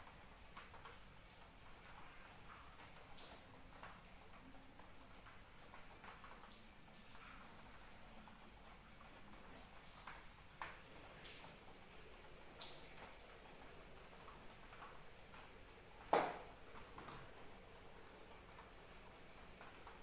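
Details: High, unbroken buzzing trill of crickets through a rain shower, with light raindrop patter and one sharper drip-like tap near the sixteenth second.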